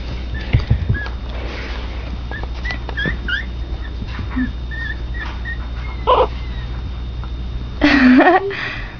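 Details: Two young Pomeranian puppies playing indoors, giving thin high squeaky whimpers and short yips scattered through, ending in a louder wavering squeal, with a woman talking to them and a steady low hum.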